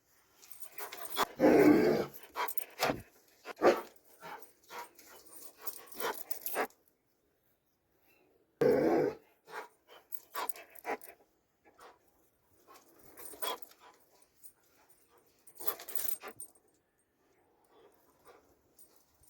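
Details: Dobermann sounding off in loud, harsh bursts, a long noisy run at first, then another strong burst after a pause, followed by softer, scattered sounds fading toward the end.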